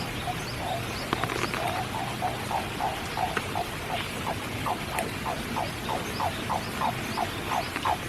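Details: Frogs give short, repeated croaks, about three a second, over a steady hiss of spring rain at Kiyotaki, Tokyo, with birds occasionally singing.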